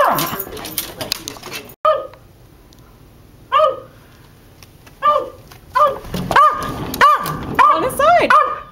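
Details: West Highland White Terrier barking in a backyard, wavering between staying out and coming in, jumping at a sliding glass door: a person talks first, then sharp high barks come at uneven intervals and grow quicker and louder toward the end.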